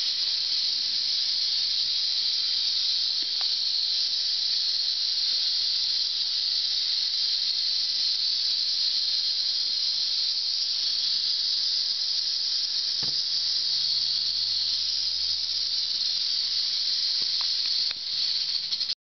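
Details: Western diamondback rattlesnake rattling: a continuous, unbroken high hissing buzz held steadily for about nineteen seconds, sharply cut off at the end, with a few faint low knocks underneath.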